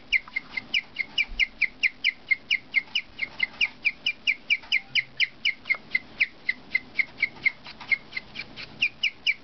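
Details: A pet female guinea pig chirps in a steady run of high, bird-like squeaks, about two every second.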